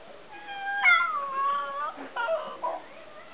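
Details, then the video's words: Male Alaskan Klee Kai, a tiny husky-type dog, talking: a wavering, whining yodel with rich harmonics that rises then slides down, followed by shorter broken whines and a brief quiet gap. "Cody (the amazing tiny husky) talking"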